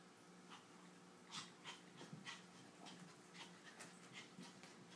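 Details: Precious, a tiny toy poodle, playing with Tiger the kitten indoors: soft, breathy panting bursts come in quick irregular puffs about every half second over a faint steady hum.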